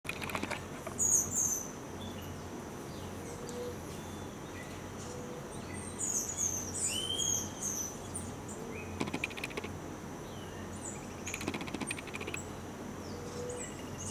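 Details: A three-week-old baby Geoffroy's tamarin gives thin, high chirps and short sweeping whistles over a steady insect drone.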